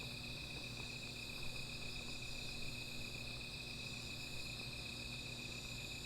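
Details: Nighttime insect chorus near a small campfire, a constant high ringing made of layered steady tones, over a faint low rumble and a few soft knocks.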